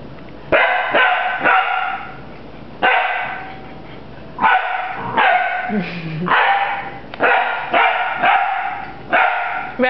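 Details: Pet puppy bravely fighting a big broom, giving loud high yappy barks in quick bursts of two or three, pausing between bursts, with a person talking nearby.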